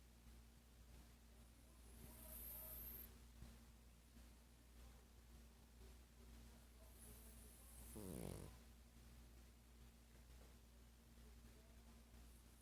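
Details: Sparky, a 12-year-old dog, asleep and dreaming indoors; a faint low rasp near the start, then one louder rattling snore with stacked buzzy tones around the eighth second over a steady background hum.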